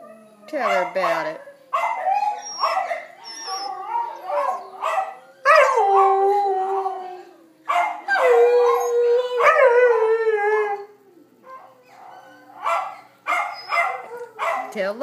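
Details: Pet dog Loki howls a song with his backup singers, the dogs Ginger, Toby, Duffer and Jessi: overlapping wavering howls that rise and slide down, broken by short yelps, while people talk and urge them on.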